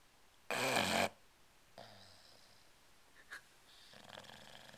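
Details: A male English Bulldog in deep sleep snores with one loud rasping snort, then softer wheezy, bubbling breaths. He holds his breath, twitches and blubbers so loudly that he briefly wakes himself.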